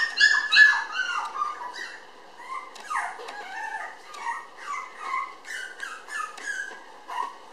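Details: Red female Toy Poodle puppy born 20 May, filmed 30 June weighing 700 g, giving a run of high, thin whines and yelps, some sliding down in pitch, repeated several times a second indoors.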